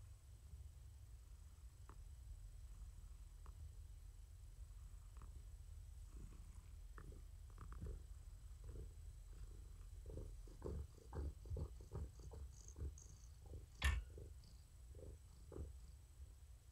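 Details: Indoors in the evening, the domestic cat Morticia purrs while being petted: a deep, continuous rumbling purr throbbing in even pulses, growing a little louder toward the end, with a brief sharp sound near the close.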